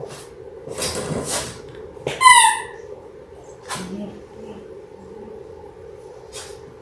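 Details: Six-week-old Labrador Retriever puppies, a litter of six born January 18, 2022, indoors on a live puppy cam; one short, high, harmonic-rich squealing yelp stands out among soft scuffling, clicks and a steady background hum.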